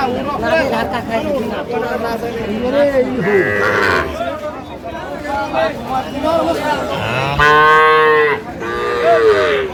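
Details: At a crowded cattle haat in Dinajpur, Bangladesh, where Sahiwal bull calves are traded in March 2025, several harmonic lowing calls sound, the clearest a full moo late on, mixed with buyers' chatter.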